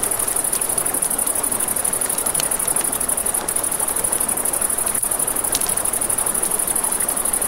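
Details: A constant high pulsed chirring of crickets by a river at night, layered with crackling firewood giving scattered sharp snaps and a broad hiss of running water.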